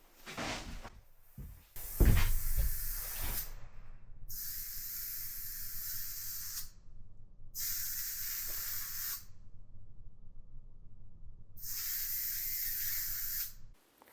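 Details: A bat hiding under tar paper in the wall of a 100-year-old log house in rural Estonia, disturbed during renovation, gives long, harsh, breathy hisses in bursts of about two seconds, separated by short silences.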